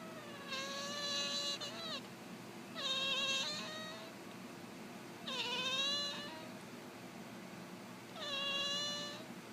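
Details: Purrcy, a Devon Rex cat, meowing in reaction to human sneezing: four drawn-out, slightly falling meows spaced about two to three seconds apart, with a person's sneezes nearby.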